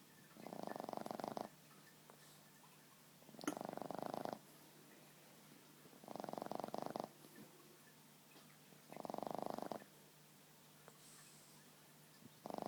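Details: A sleeping Boston Terrier lying on a person's lap snores in slow, regular breaths, each rasping snore lasting about a second and repeating roughly every two and a half to three seconds, with quiet room hum between.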